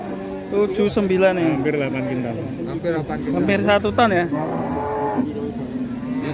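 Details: A giant, very tall fat cow coming down from a truck lets out a long, low, steady moo lasting around two seconds, with men talking over and after it.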